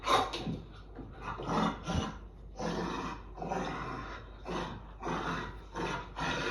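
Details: An adult dog and a puppy growl at each other in rough play, not aggression, with rough, rumbling bursts about every second.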